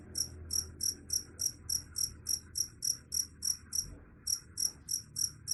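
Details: Cricket chirping steadily, bright high-pitched pulsed chirps repeated about three times per second, with one brief gap midway, over a faint low hum.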